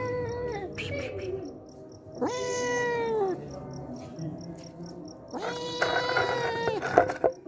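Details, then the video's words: Homeless cat coming each day for milk, hungry, meowing three times with drawn, level cries; a few sharp clicks and knocks sound near the end. "Hungry Homeless Cat Comes Daily For Drinking Milk"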